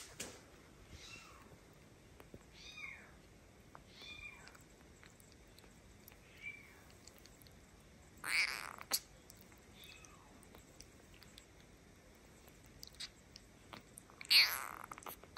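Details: Adopted kitten, one of the orphaned pair Kiki and Steve, feeding from a milk bottle indoors; several short high mews with faint harmonics spaced a second or two apart, plus two sharp broadband bursts of handling noise.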